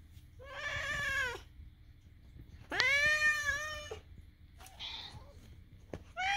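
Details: Domestic cat making odd vocal sounds indoors while a second cat is present: two long, drawn-out, wavering meows with rich harmonics, each about a second long, then shorter fainter squeaks near the end.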